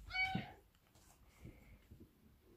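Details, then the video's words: Indoor pet cat at morning routine time gives one short, loud, harmonic meow that rises then falls quickly, followed by faint room noise and a thin high whine. "LOUD MEOWS"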